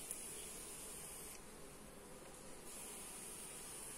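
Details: Honey bees at a hive during an inspection, recorded on a Xiaomi Redmi Note 8 phone: a soft, steady, low droning hum that barely changes, with faint hiss above it and no clear knocks or voices.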